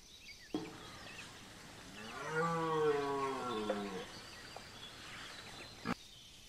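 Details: A single red deer bellow from the Chambord rut, September 2021. The deep moaning roar rises slightly, holds for about two seconds, then sinks as it fades. Sharp knocks come just before and after in an otherwise quiet setting.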